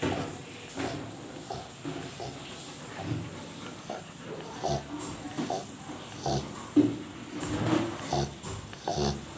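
A sleeping Rottweiler snores in low, rough, uneven breaths indoors.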